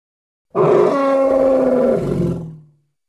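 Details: Congo hippo letting out one drawn-out, rough roar of over two seconds, holding level before its pitch drops and trails off at the end; clean, with no background noise.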